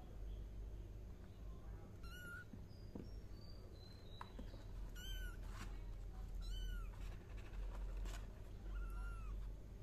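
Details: Four plaintive, high kitten meows come at irregular intervals of two to three seconds, with faint clicks and a low background hum.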